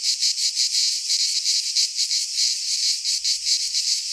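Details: Cicadas in a Greek pine forest in midsummer, their high grating buzz swelling and fading in short regular pulses, several per second, continuous and loud.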